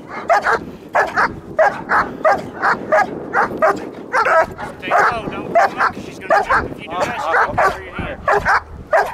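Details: German Shepherd barking during bite training with a bite wedge, sharp loud barks repeated about every half second in a steady run, with some voice mixed in.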